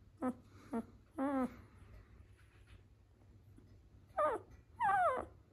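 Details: Doberman puppy, ten days old, at a breeder in Vancouver, British Columbia; five thin, high whimpers and squeals, the first two short, the later ones longer and wavering in pitch, with quiet pauses between.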